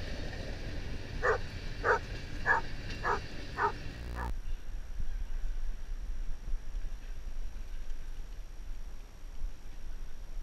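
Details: Boone the Basset Hound visiting a farm, giving a run of five deep barks spaced roughly half a second apart over the first four seconds, then quiet outdoor background with steady wind rumble.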